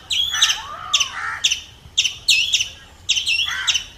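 A squirrel gives sharp, high, bird-like chirps in quick, uneven bursts.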